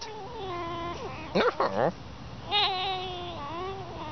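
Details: Whining from a playing pet fox: a long level whine, a burst of harsh squeaky yelps near the middle, then a higher quavering whine that trails off.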